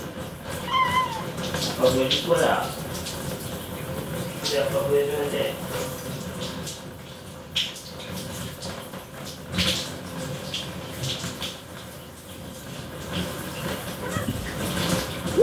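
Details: Male short-legged Munchkin cat, two years old, white with gray, making squeaky chirps at its owner in the bathtub: a clear high meow early on, then fainter short cries, over room noise and occasional knocks.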